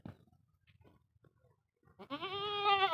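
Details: Angry castrated male goat, due to be sold for Qurbani, reacting to a man's threatening words: soft speech and rustling, then one loud, nasal, wavering bleat lasting about a second.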